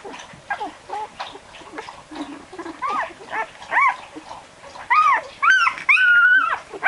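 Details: Barbet puppies, 12 days old, whimpering while wiggling and staggering in search of their mother; thin arched whines that rise and fall, soft at first and growing louder and longer toward the end.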